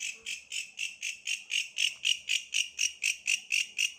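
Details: Tree bush cricket producing repeated high buzzing pulses about four per second, slightly rising in strength midway, against faint background hum.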